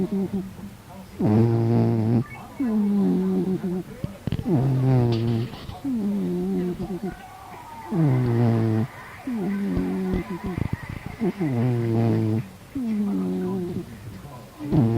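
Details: Sleeping domestic cat snoring: low, voiced, rasping snores about a second long, each opening with a brief falling pitch, repeating roughly every two seconds in a steady breathing rhythm.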